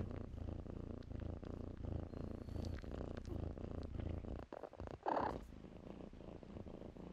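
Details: Purring kittens among blankets, a continuous low rumble with gentle breathing pulses, interrupted near the end by a short rustle and a faint high squeak.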